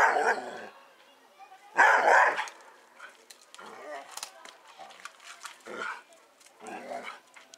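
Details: Doberman Pinscher at play and exercise, giving a rough bark at the start and a louder burst around two seconds in, then softer scattered yips and thumps with faint human voices between them.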